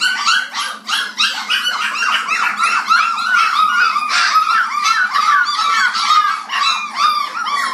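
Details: Black Labrador puppies, 29 days old, noisy while feeding: a continuous tangle of squealing whimpers and bent, whiny yelps from several pups at once, loud and unbroken from start to finish.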